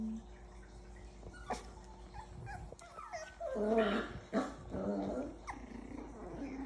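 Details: Havanese puppies, six weeks old, giving short whimpering and yelping cries mid-clip, with soft rustling around them.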